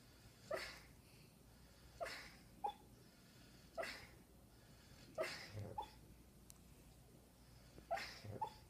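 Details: Dreaming puppy named Tucker giving soft, breathy puffs, each ending in a brief squeaky whimper, about every one and a half seconds, in a quiet indoor setting.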